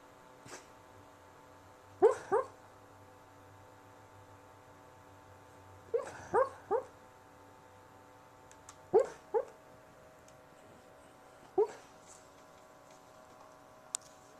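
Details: Sleeping dog dreaming during a nap, giving soft muffled woofs and yips in short bursts of two or three every few seconds, indoors with a steady background hum.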